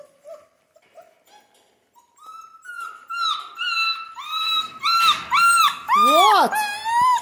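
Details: Central Asian Shepherd puppies in Michigan begin with faint, scattered whimpers, then build into loud, insistent yelping whines. The final cries arch up and fall sharply, coming rapidly one after another.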